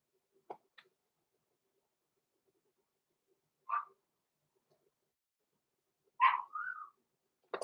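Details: Blenheim Cavalier King Charles Spaniel pups Roman and Blue, six weeks old, born November 14, 2022, in a home puppy pen. A lone yip, then a louder bark trailing into a short rising whine, with soft clicks between.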